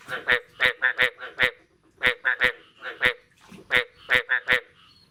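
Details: Frog calls after the first rain of the year, recorded the morning of 9 May 2022: short honking croaks in clusters of three to five, separated by brief pauses, with faint clicks between.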